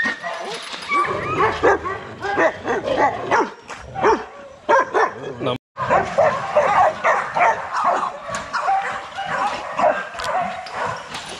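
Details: Young Rottweilers at a kennel, exercising in their yard, bark repeatedly in a busy, overlapping chorus of sharp barks and yips, with a brief silence midway.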